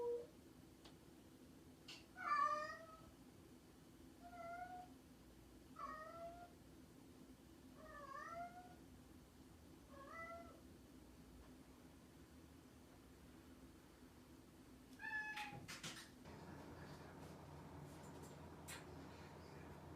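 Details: Mischievous domestic cat giving a series of short, bent meows roughly every one and a half to two seconds, softer and clipped, followed by rustling and handling noises near the end over a low background hum.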